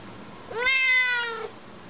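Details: A chatty female Siamese cat indoors answers her owner with a single clear, drawn-out meow lasting about a second, rising quickly then holding steady before dropping off.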